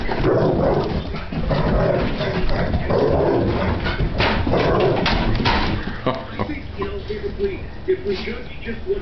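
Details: Giant Schnauzer after breakfast, giving a run of short, high whines with a clear tonal edge, repeated in quick bursts toward the end, after a stretch of lower, muffled vocal sounds mixed with human voices.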